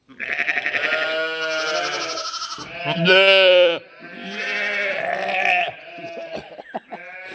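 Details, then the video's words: Sheep and lambs making noise, a string of overlapping bleats of varied pitch, one loud, steady, nasal bleat around the middle, with clicks and shuffling between calls. "Funny sheep and cute lambs bleating, making noise"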